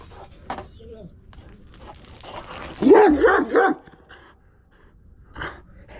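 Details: Aggressive Kangal dog letting out one loud burst of rapid barks midway, with quieter scattered sounds and low rumble before and after.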